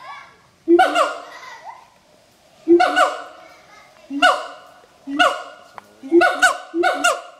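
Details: Pair of adult siamang gibbons in a territorial morning duet at Schmutzer Primate Center: sharp, widely spaced barking whoops, each a loud burst trailing into quick descending notes, about every one to two seconds.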